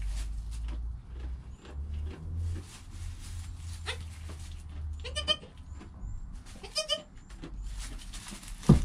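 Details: Goat kid Joel in his first hour of life beside his mother Penny, recorded with a GoPro: two brief tremulous bleats about a second and a half apart, over low rumbling, scattered clicks and rustling.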